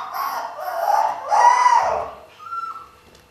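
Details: Husky puppies from a 2015 archive recording give two drawn-out wavering yelps that climb and sag in pitch, followed by a shorter flat, thinner whine, over a faint background hum.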